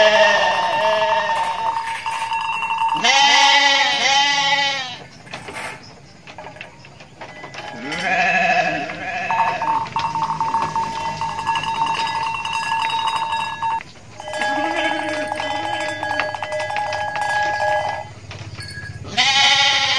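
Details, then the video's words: Mother goat in Indonesia bleating in loud, wavering, harmonic-rich calls, each about a second long and grouped in bursts with pauses between, over a steady tonal ringing like a bell in the background. "INDUK KAMBING LUCU BANGET BIKIN NGAKAK | SUARA KAMBING"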